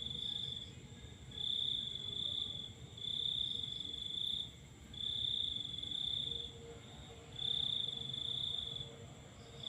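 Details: Full-moon night with a cricket chirping: high, even trill delivered in regular bursts of about a second, roughly every one and a half seconds, over a faint steady whine and low murmur.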